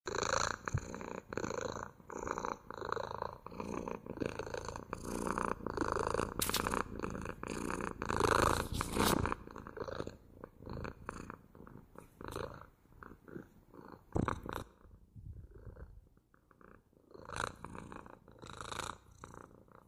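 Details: Domestic cat purring at length indoors, a steady low rumble pulsing in breath cycles roughly every two-thirds of a second, with soft rustling and a few sharp clicks of movement near the microphone.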